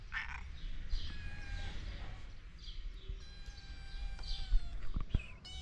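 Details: Young cats with their calico foster mother at feeding time: thin, high, downward-sliding mews repeated roughly every second, several overlapping, with a sharp knock near the end and steady low rumble beneath.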